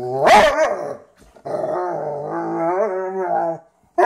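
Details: Two dogs, a Frenchton and a Rhodesian ridgeback, playing together for the first time; a sharp bark-like burst opens, then a long, steady, tonal growling moan wavers for about two seconds before a brief pause and a final sound.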